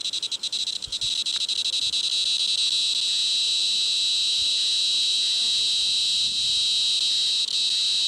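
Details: White drummer cicada, a 41 mm cicada from Australia, singing a loud, continuous, high-pitched buzz that holds steady throughout. A few clicks and flutters break in over the first two seconds.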